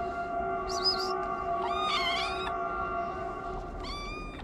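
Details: Street kitten in Morocco, a homeless stray fed every day, giving several short high meows, one squeaky, one longer and wavering, over a constant tonal hum in the background.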